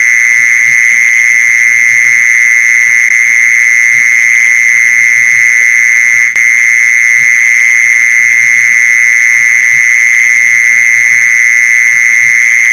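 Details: Mole cricket call played to lure mole crickets: an unbroken, steady buzzing trill held at one pitch with a fainter high overtone, interrupted by a single sharp click midway; soft low thumps underneath.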